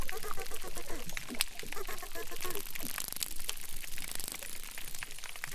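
Dense underwater crackling from crustaceans, a constant bed of sharp clicks and pops.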